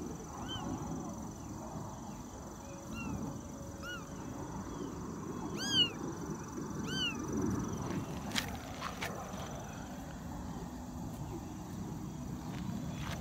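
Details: Tiny kitten only twenty days old, filmed 2017-09-18, squeaks out a handful of bright, arching mews spaced a second or two apart, then falls quiet while clicks, taps and a low background hum continue.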